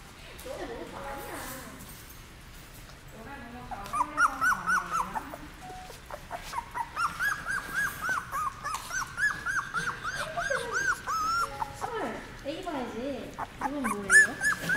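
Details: Seventeen-day-old puppies, brought into a dog café for the first time, give high, thin whimpers and squeals that rise and fall in quick repeated bursts, with people talking softly in the background.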